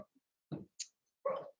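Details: Playing Cavalier King Charles Spaniel puppies raised indoors in a home pen: faint yips and a small huffing bark, ending with a longer mid-pitched whiny yelp; a light high clink is heard in between.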